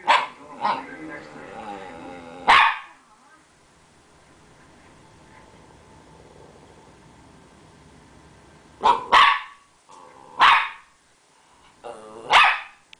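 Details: Pet Rat Terrier wagging its stub tail and barking playfully for attention: a few sharp barks at the start, a long quiet pause, then a cluster of four loud barks, some in quick doubles.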